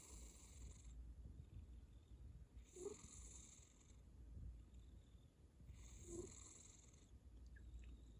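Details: Domestic cat snoring: breathy, hissing bursts of air recur roughly every three seconds over a steady low rumble, with soft pauses between breaths.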